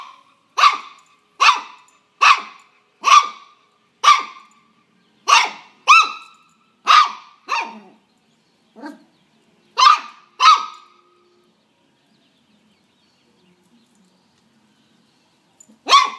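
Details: Dog barking during a fight with a praying mantis: a steady run of about a dozen sharp barks, roughly one per second, then a long quiet pause and one last bark at the end.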